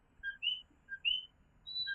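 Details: Nighttime coquí chorus in Fajardo, Puerto Rico, tiny tree frogs giving clear two-part whistled calls, a brief low note followed by a sharper upward-sliding one, several callers alternating over a quiet background.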